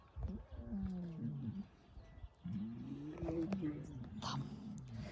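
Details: Two rough, harmonic lion roar-moans in Crimea, where lioness Simona lives with Sultan and Girey; the first lasts about a second and a half, a brief pause follows, then a longer, louder groan with faint voices and clatter in the background.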